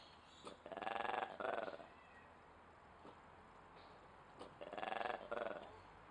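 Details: Duisburg Zoo ape producing odd noises: a pair of pulsed, throaty, harmonic bursts, a silent stretch with faint clicks, then another matching pair of bursts.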